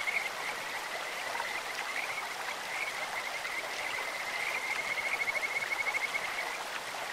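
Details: Kajika frogs calling in a clear mountain stream, a nature sound recording: a steady band of high, sweet, bird-like trilled notes held near one pitch, strongest toward the end, over constant rushing water.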